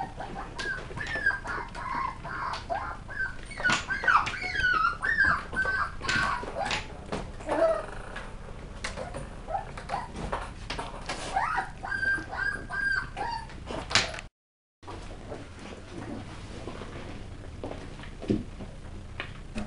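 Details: West Highland White Terrier puppies at a kennel during tricks and threats play; repeated high whining yelps and squeals in rapid bursts, about two per second, with rustling and scuffling throughout.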